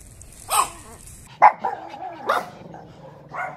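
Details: Chihuahua, from a compilation of angry, happy and crying Chihuahuas, giving four separate sharp, high barks spaced roughly a second apart, each with a short falling tail, over a quiet background.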